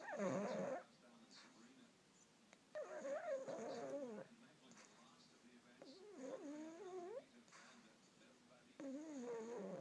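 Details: Pug dreaming in deep sleep while looking awake. It gives wavering, moaning whine-snores in four bursts, each about one to one and a half seconds long and about every three seconds apart, in a quiet room.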